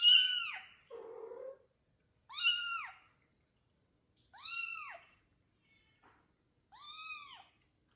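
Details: Adult male domestic cat cautiously meeting a newborn kitten indoors; four clear arched meows, bright and harmonic, rising then falling, spaced about two seconds apart, with a lower rough murmur after the first.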